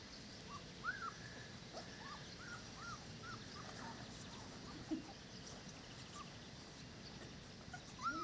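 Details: Dogo Canario puppies, four weeks old, giving a run of soft, arching whimpers, each briefly rising then falling, repeated about every half second, with a sharper whine near the end over steady low background hum.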